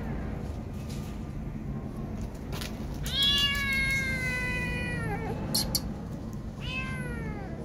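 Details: Scared kitten, left behind by its mother cat, giving two long drawn-out meows, each starting high and sliding downward, over a steady low rumble of background noise.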